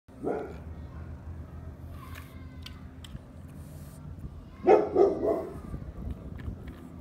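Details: A one-year-old French bulldog gives a few short, gruff barks over a low indoor hum.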